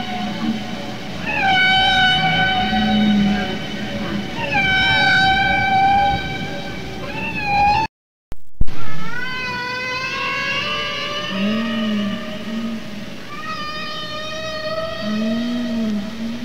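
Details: A male humpback whale's song, a repeated-pattern tune that males update over time. Harmonic whistled wails recur every few seconds with low grunting swoops between them, broken by a short silent cut midway.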